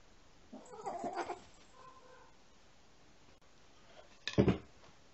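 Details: Rescued female kitten wanting to play with an older male cat getting ready for bed, indoors in summer 2017; a short, grunty call, then a brief louder burst near the end in a quiet room.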